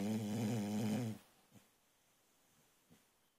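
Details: ['Sleeping female boxer puppy gives one loud, buzzy, harmonic snore lasting about a second, followed by quiet breathing with two faint snuffles.']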